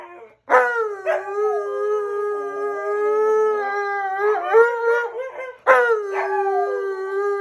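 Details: Two dogs, a Malamute and a Husky named Tonka and Monroe, howling together: long steady mid-pitched howls with wavering, overlapping upper voices, a fresh rising howl starting again near the end.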